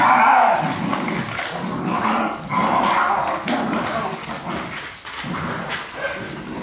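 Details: Jagdterrier dogs in Brazil giving a dense, continuous run of harsh barks and growly yelps that overlap without pause, the loudness rising and falling in waves.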